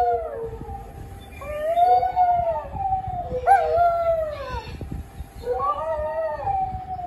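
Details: Household dog gives a series of overlapping mournful howls, each curving up and sliding down, with a brief yelp-like break midway.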